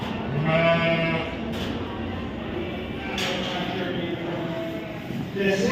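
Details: Sheep at the Royal Winter Fair 2023 in Toronto, Ontario, Canada, giving a short, steady, low bleat followed by quieter bleats, amid a busy indoor fair hall with people talking nearby.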